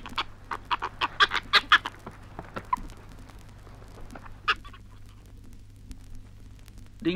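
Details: Flying foxes (fruit bats) in Australia give harsh, raspy screeches in a quick burst of about a dozen, then scattered single squawks, over a low steady hum; from a 1968 record of Australian wildlife recordings.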